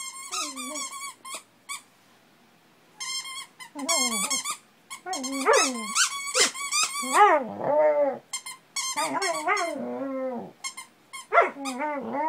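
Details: Domestic dog crying and howling along with its squeaky toy turtle, recorded 7/28/10. Bursts of shrill repeated toy squeaks alternate with wavering, whining howls that rise and fall, overlapping in a busy jumble, with a woman's voice speaking softly.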